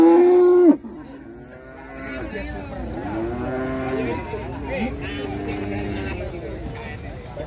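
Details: Large contest cattle unloading from a truck, one loud sustained moo breaking off abruptly, then several drawn-out arching lows from other cows over a murmur of people.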